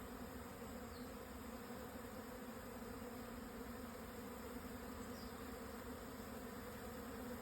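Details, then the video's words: Swarming Japanese honey bees moving home at 12:50, 17 June 2024, high plateau at 1054 m in Hokuto, Yamanashi, Japan, after strong wind subsided; a uniform, rich humming buzz of the whole swarm fills the recording. "【日本ミツバチ】 のお引越し〜◆ 分蜂"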